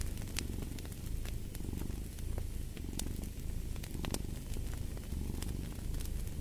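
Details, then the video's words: Domestic cat purring in a steady low rumble that swells and fades with each breath, about once a second, under the sharp pops and crackles of a fireplace fire. "Purring of a Cat"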